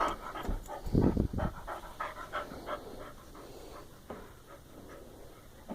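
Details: Abby, a dog playing like a puppy, panting in quick rhythmic breaths about two per second, strongest and noisiest around the first second and a half, then softening and thinning toward the end.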